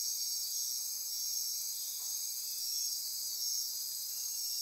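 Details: Nocturnal rainforest insects near Corcovado National Park, Osa Peninsula, Costa Rica, forming a dense, constant high chorus of stacked buzzes and rhythmic pulsing trills, with a faint soft murmur near the middle.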